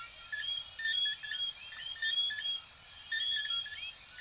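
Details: Chorus of coquí frogs, Venezuela and Puerto Rico, giving short upswept whistles in loose bursts, interleaved with steady high beaded chirps throughout.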